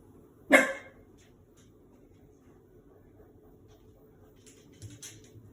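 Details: A Shiba Inu puppy of five months startled by the washing machine lets out a single short bark near the start. Near-silence follows, with faint soft knocks toward the end.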